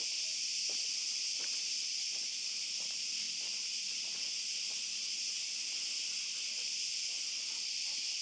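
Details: Cicadas at night in an olive grove, recorded while walking a dog, keep up a seamless high-pitched buzzing wash, with light, uneven footsteps and rustles audible beneath the drone.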